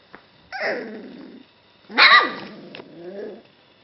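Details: Golden Retriever puppy among its littermates gives two squealing, yelping cries about a second and a half apart, the second louder and more strained, followed by a softer whine in a quiet indoor room.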